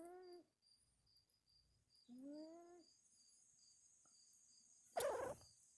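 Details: A sleeping female cat snores with a wheeze: two short harmonic, nasal wheezing breaths about two seconds apart, quiet pauses between, then a brief rustling thump near the end.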